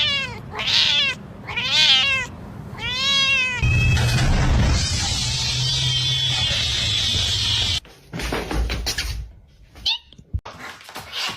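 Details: Domestic cat meows, three drawn-out arching cries in quick succession, followed by a long stretch of loud rumbling noise and clatter with faint higher sounds.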